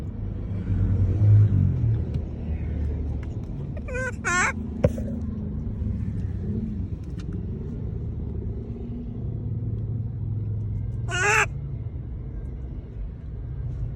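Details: Monkey calling to people: two loud, harmonic squealing calls, each falling in pitch, the first pair around the middle and a single one later, over a constant low rumble of vehicle traffic.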